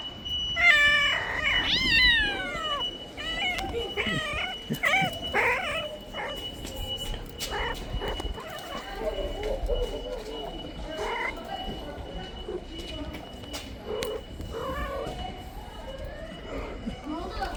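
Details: Mother cat calling for her kitten to be returned, giving a quick series of short, wavering meows in the first six seconds, then fading into rustling, clicks and handling noises.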